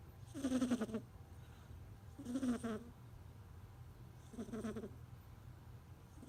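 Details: Snoring from a kitten: three drawn-out, grating, nasal breaths about two seconds apart, the first loudest, then a fourth starting at the end, over a constant low hum.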